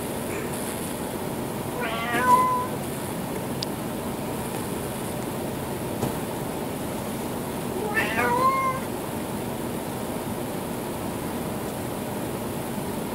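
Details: Adopted former stray male cat sitting in the kitchen beside an elderly howling chocolate lab and starting to copy its noise: two short wavering meow-like calls about six seconds apart over steady background hiss.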